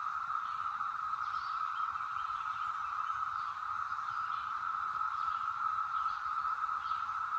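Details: Chorus of Brood X cicadas in the North Georgia mountains in 2021, a dense unbroken drone holding one pitch throughout, with faint scattered bird notes above it.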